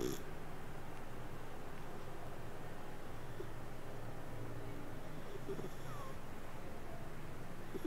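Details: Domestic cat purring while asleep: a continuous deep, rumbling drone with a regular fluttering beat, unbroken throughout, with only soft faint clicks and rustles in the background.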